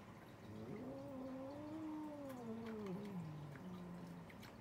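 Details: Cats arguing: one drawn-out, wavering yowl lasting about four seconds, rising slightly then sagging and dropping to a lower drawn tone at the end, over a steady low background hum.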